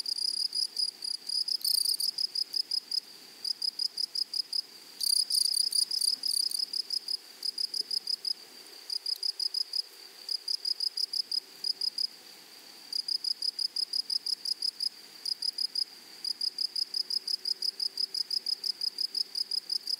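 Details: Grasshoppers in a flowery meadow or prairie: bright, high, tonal chirps repeated in quick, steady runs of about three per second, broken by short pauses, over a faint, soft background hiss.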